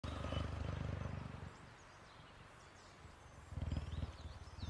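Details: Cheetah inside a house, giving a deep, low, pulsing rumble in two bursts, a long one at the start and a shorter one near the end, with faint high chirps in the background.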